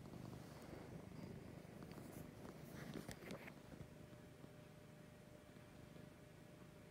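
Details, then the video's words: A domestic cat named Lucy purring in the morning: a soft rhythmic low rumble, a little stronger in the first half, with brief rustling and clicking near the middle over persistent hiss. "Lucy Purring in the Morning."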